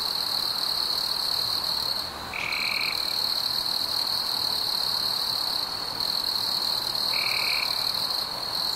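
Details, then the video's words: Summer-night crickets form a continuous high, ringing trill, dipping briefly near the start. Two short, lower tonal notes stand out over the unbroken chorus. "Fireflies and Crickets - Calming sounds of the night"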